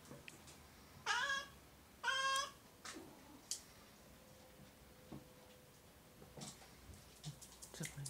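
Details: Oriental or Siamese cat giving two short, strong meows about a second apart, each bright and nasal with a brief downward tail, followed by soft clicks, knocks and faint room noise.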